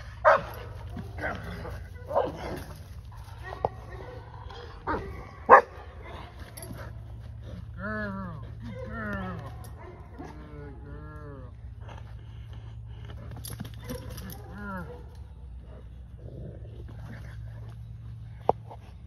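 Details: English Mastiff named Aries at a first training session: arching, whining calls repeated in short runs through the middle, mixed with people talking and a few sharp knocks, ending quieter.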